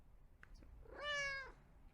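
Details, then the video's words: A single drawn-out kitten meow, steady then slightly falling, preceded by a few faint clicks. "Sounds to Make Your Kitten Come to You. Kitten Meows Sound Effect."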